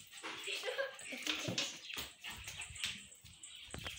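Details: A four-month-old Pomeranian puppy whimpers indoors, starting with a thin, wavering whine, then breaking into short, breathy squeaks and snuffles, with rustling and other noises mixed in.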